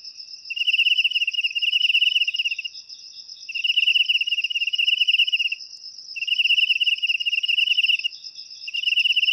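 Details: Cricket chirping, used in the home to drive away rats naturally; bursts of rapid pulsed trilling about two seconds long, separated by pauses of roughly one second, over a steady high continuous ringing tone.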